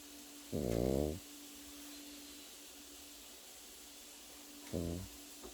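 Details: Sleeping Pekingese puppy snores twice, about four seconds apart. Each is a short, rough, low, vibrating inhale, the first longer than the second, with a faint electrical hum in the background.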